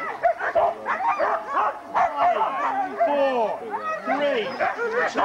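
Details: Sled dog race weekend in the Forest of Dean, November 2001, huskies filmed on VHS tape: many eager dogs yelping and whining in curved, bouncing calls, with human voices mixed in among the clamour.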